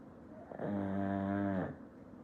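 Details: Black pug asleep as a pet at home, giving one long, loud snore of about a second: a steady, buzzy, droning rumble with stacked harmonic tones, soft breathing before and after, quiet room.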